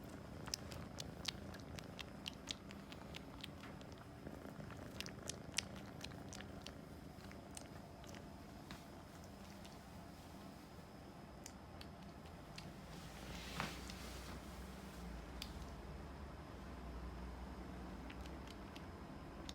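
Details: An American Shorthair kitten, held in someone's arms indoors, purrs in a soft, continuous, low rumble, with faint clicks and small rustles of handling.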